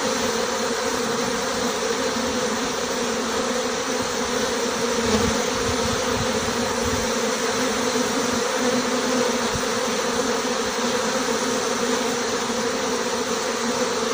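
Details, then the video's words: A honey bee swarm pours out of a six-frame nucleus hive, the marked queen among the departing bees; a constant droning hum fills the recording, joined midway by a few dull low bumps, then the even buzzing continues unchanged. "Départ d'un essaim d'abeilles avec la reine"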